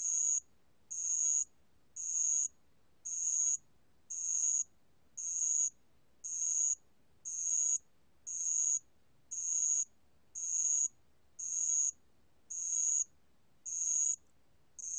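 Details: Bell cricket (알락방울벌레) captured in Korea in 2020 by the National Institute of Biological Resources: a long, very regular series of fifteen high, bell-like ringing trills, each roughly half a second, pulsing about once per second against a quiet background.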